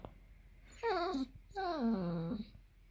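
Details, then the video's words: Basset Hound, a pet female dog indoors, whining because she is hungry for her dinner: two drawn-out whines, each starting high and sliding downward with a wavering, nasal tone, separated by a short pause in a quiet room. "Basset Hound is Hungry"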